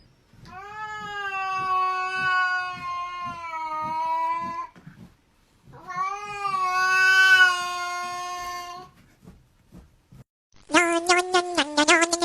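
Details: Domestic cat meowing, from a compilation of funny cats: two long, drawn-out, wavering meows of about four seconds each, then a quick burst of short, choppy cries, with faint regular tapping beneath.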